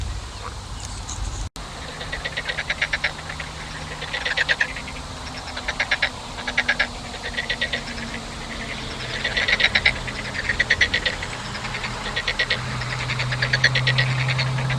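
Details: Frogs giving short pulsed rattling croaks in bursts about once a second, over a low engine-like hum and background rumble.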